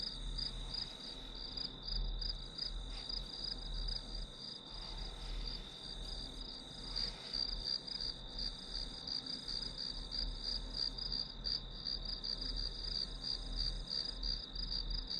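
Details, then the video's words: Grass insects heard as background white noise for a one-hour study session: a dense, steady high-pitched trill pulsing rapidly and continuously, with a low constant hum beneath it and no other voices. "풀벌레 소리"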